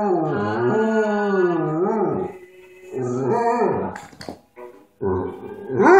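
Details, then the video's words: Lower, groaning howls from Hobbes, a pet dog accompanying Hank Williams music: a long moaning note with wobbling pitch, a shorter second howl, a faint click, then a rising whine at the end. "Lazy dog howling"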